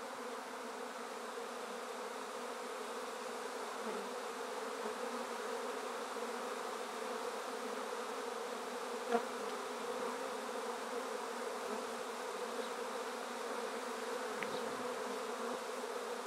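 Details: A honey bee swarm freshly shaken from a tree into a darkened swarm basket fitted with top bars. A thick, constant drone lasts sixteen seconds, with a few faint clicks and small knocks.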